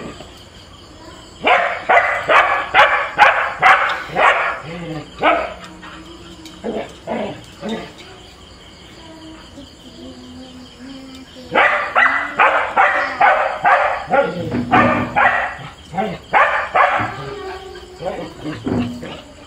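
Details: Husky and border collie, pets in Kerala, quarrelling. Two bursts of loud, rapid, rough barking, roughly two per second, separated by a quieter stretch of low grumbling sounds.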